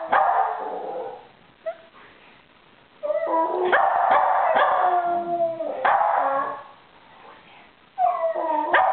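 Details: Two West Highland White Terriers howling together in a duet, with a third dog joining in with barks; wavering drawn-out howls alternate with sharp barks and quieter gaps.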